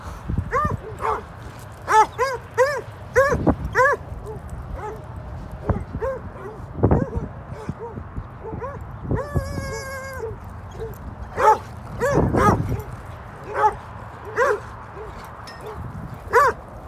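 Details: Archie, an Alaskan Malamute, playing with other dogs at a dog park, gives harmonic arching yelps and barks in bursts, plus one sustained wavering howl-like note near the middle, with background chatter and dog-park noise.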